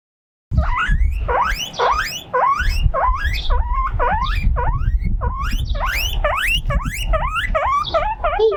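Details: Mokohei, a pet guinea pig playing alone on a windy veranda, cries out loudly from loneliness: a rapid series of about twenty shrill, rising squealing whistles, each sweeping upward, over a low rumble of wind.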